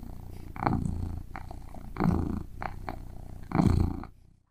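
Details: A domestic cat having breakfast indoors: a steady low purr runs throughout, broken by three louder bursts of eating noise about every one and a half seconds, then fading to silence at the end.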